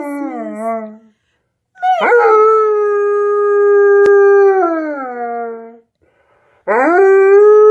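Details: Alaskan Malamute howling along to Jingle Bells: a falling tail of one howl, then a long sustained, steady howl that drops at its end, and another howl starting with a quick rise.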